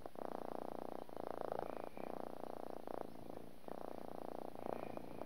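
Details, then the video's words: Little pet cat purring: a dense vibrating rumble in long phases of about one second each, separated by short breath pauses, with no other sounds. "My Little Cat is a Purring Machine"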